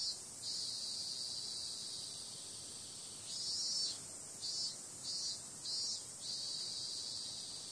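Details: Cicadas at night in summer: a flat, high-pitched continuous whine for the first few seconds, then a series of evenly spaced louder pulses rising out of the drone.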